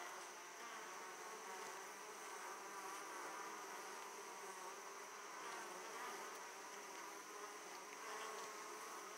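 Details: Opened hive of Italian honey bees as foragers come back heavily laden with pollen; a constant, thick hum of countless wings, even in volume, with faint higher whines drifting through.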